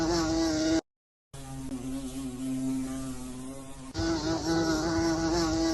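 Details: Bee giving a continuous droning buzz, low and even with layered overtones, broken once by a brief gap of silence.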